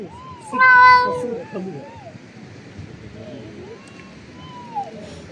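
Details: A cat eating lets out a loud, wavering meow-like cry after half a second. Softer rising and falling murmured vocal sounds follow, with a faint high note near the end.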